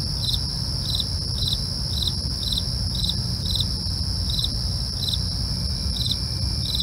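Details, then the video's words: Crickets at night, recorded for real: short regular chirps, about two each second, ride on a persistent high trill while a deep low rumble fills the background. "night crickets asmr for you, can't sleep? try to relax with our real sound"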